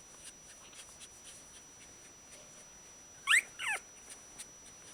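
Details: Shiba Inu puppies, one week old, from a kennel litter, described as very happy: two brief high squeaky squeals close together midway, with faint soft rustling and quiet ticks before and after.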